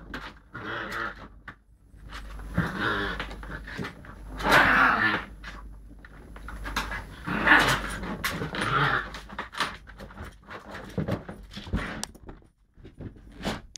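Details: Lakeland Terrier puppy pushing its luck with an older Lakeland x Patterdale cross, mobile phone recording: several rough, throaty growling bursts a few seconds apart, with panting, scuffling and knocking sounds between.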